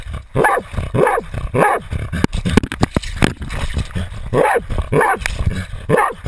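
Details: Otto the Jagdterrier bays at a 250 lb boar, filmed with a GoPro: loud hoarse barks in quick clusters, a pause filled with scraping and thumping, then more barks in a steady run.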